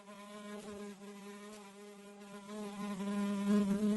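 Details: House fly buzzing steadily as a low, even drone with many overtones, wavering slightly in pitch and swelling louder toward the end as if coming closer.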